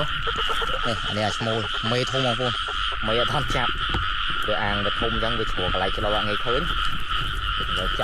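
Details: Frogs croaking during rain in rice fields, several pairs together in the water while people catch them. Dense overlapping chorus of nasal, arched croaks repeats in rapid runs throughout, with a steady high-pitched drone and water noise behind.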